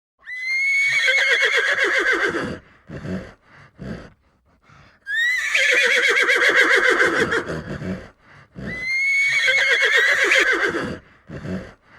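A horse whinnies three times, each a loud, quavering neigh that starts high and trails downward.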